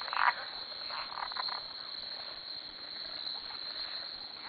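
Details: Frogs calling at 2am from a farm dock, many animals surrounding the listener; dense chorus of overlapping croaks and rasping pulses beneath a steady high insect-like drone.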